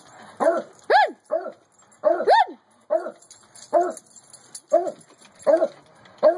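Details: Two pet dogs, a beagle and a beagle/treeing Walker coonhound mix, waiting to be let into the house; sharp rising-falling yelps, often in quick pairs, with short pauses between them.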